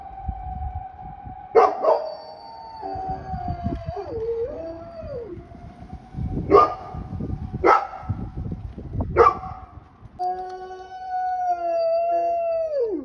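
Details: Sapporo Golden Retriever Retsu, 42 kg and 1 year 5 months old, tries out his newly learned howl: a steady whining tone broken by several barky bursts, ending in a long, falling, wavering wail.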